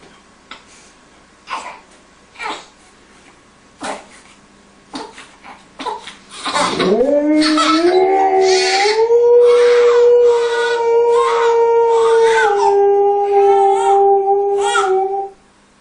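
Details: Alaskan Malamute howling while comforting a crying baby; short sobbing cries at first, then a long, steady, drawn-out howl rising slightly and holding level for about nine seconds, with the baby's cries mixed in.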